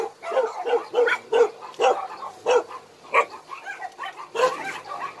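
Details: At a Daegu rescue shelter for abandoned dogs, a dog gives clear, punchy barks about every half second, then a looser volley of yips from other dogs follows.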